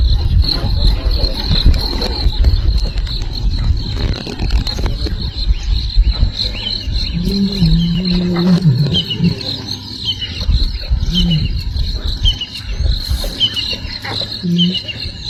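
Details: Lion cubs of the Nkuhuma pride in Sabi Sands, South Africa, in the morning as adult females return to them, calling for mother: low wavering moaning calls in the middle, over a constant high insect drone and rustling.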